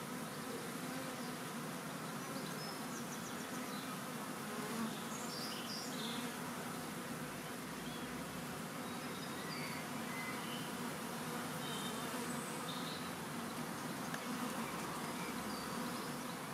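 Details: Massive swarm of honeybees, part of a swarm collected on World Bee Day 2019; a steady roaring drone of countless wings without pause, sprinkled with brief whining tones from individual bees close by.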